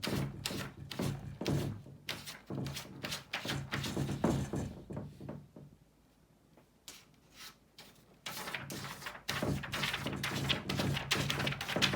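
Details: Irregular tapping and thumping on a desk indoors, with a quiet pause midway and no animal voice.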